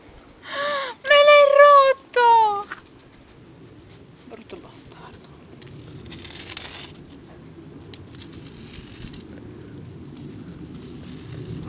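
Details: Alaskan Malamute puppies 18 to 25 days old give loud, tonal whining cries in three quick bursts over about two seconds, the later ones sliding downward in pitch, followed by rustling, handling noises and people speaking Italian.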